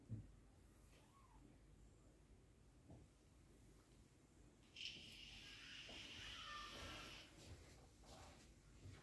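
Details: British Shorthair cat, a mother with her kitten, indoors; a sudden breathy, broadband hiss lasting about two seconds midway, set between quieter faint rustling and soft scattered noises.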